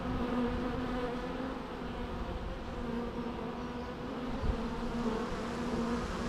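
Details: Bees buzzing naturally in a constant low hum, a dense layered drone that stays level throughout, broken only by a single brief soft click midway.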